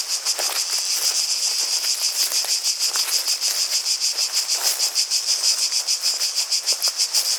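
Cicadas keep up a shrill, continuous buzz that pulses about three times a second.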